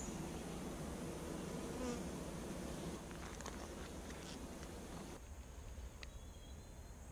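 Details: Honey bees during a week-two hive inspection, their brood box almost filled, recorded with GoPro Hero5 and Hero Session cameras: a dense, low, continuous buzzing hum that drops noticeably quieter after about five seconds.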